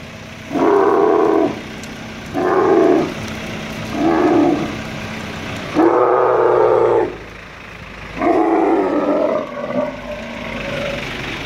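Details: Angry bull dromedary moved by crane at the Al Ain camel market, UAE, 21 March 2017: five short, rasping roars in sequence, the later ones longer and more ragged, over a faint engine-like hum.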